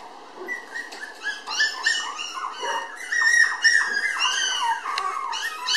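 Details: A red female Toy Poodle puppy, born 24 May, filmed 30 June and weighing 700 g, gives rapid, high whimpering squeaks, many overlapping in quick succession.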